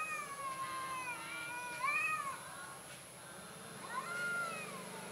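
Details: Fearful orange cat producing a string of plaintive meows, some rising then falling, some choppy and short, nearly continuous across the stretch with faint background hiss.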